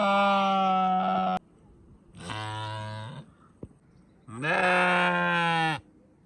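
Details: Three drawn-out sheep bleats, each over a second long: the first mid-pitched and even, the second deeper and throaty, the third loud and strained; a single sharp click between calls.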